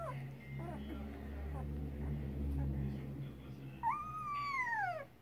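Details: Two-week-old Rottweiler puppies whimper, with one clear, drawn-out whine that rises and then sinks at the end.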